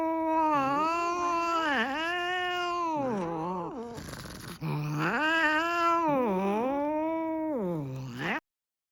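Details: Furious cat in a temper, producing near-continuous loud, moaning yowls that dip and swell in pitch, rich in harmonics, broken by a brief hissing burst midway before ending abruptly.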